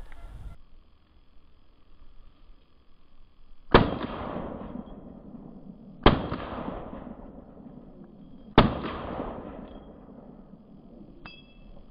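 Three sharp gunshot-like bangs ring out about every two and a half seconds, each fading in a long echo.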